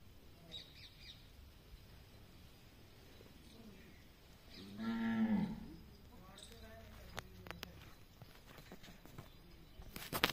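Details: Cow at a gaushala (cow shelter) at Majari ashram, Jhunjhunu, giving one deep, drawn-out moo at mid-clip, with a faint harmonic tone that swells and fades. Soft background murmur and a few sharp clicks and knocks follow.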